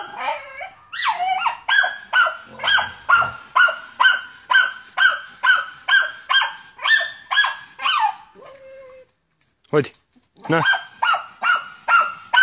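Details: A German Hunting Terrier, a wild boar hunting dog, barks in a fast, steady series of sharp, ringing yaps, about two each second, as a handler urges it on.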